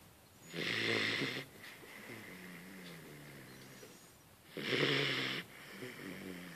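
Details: A Hungarian vizsla puppy asleep and snoring: two loud, raspy, breathy snores about four seconds apart, each lasting under a second, with soft wheezing breaths between them.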